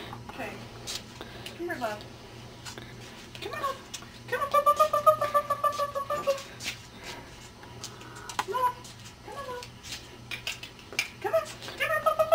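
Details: Cardigan Welsh Corgi puppies, ten weeks old, whimper indoors: a sustained high whine of about two seconds pulsing rapidly, then shorter clipped squeaks, while people chat over a low steady hum.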